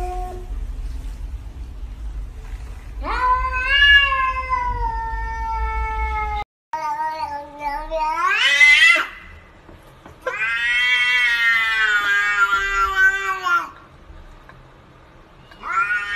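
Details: Pet cat indoors meowing in a series of long, loud, strained yowls, some rising sharply in pitch, separated by brief pauses; low rumbling noise under the first call.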